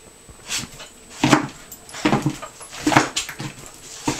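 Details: A Miniature Pinscher named Holly, bouncing at dinner time indoors, lets out four short, strained yelps spaced roughly a second apart, with quiet room hum between them.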